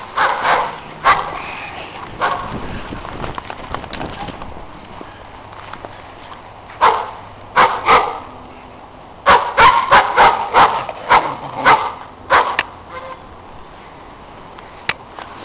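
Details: Dogs next door being loud during snowy play: scattered barks early, a lull, then a dense cluster of rapid sharp barks, trailing off into quiet.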